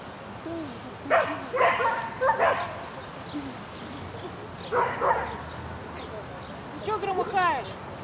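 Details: Shetland Sheepdog Lesya barking on an agility course run, Spring 2016 event, 22 May 2016: three groups of sharp, harmonic yapping barks, two or three barks per burst, separated by quiet gaps, with faint background noise.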